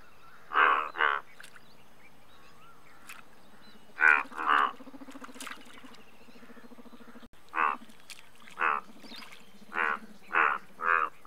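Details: Indian bullfrog, India's largest frog species, giving loud nasal moo-like croaks. Each croak is a short pulsed burst. The first calls come in pairs, then six come in a steadier run, over a low steady background hum.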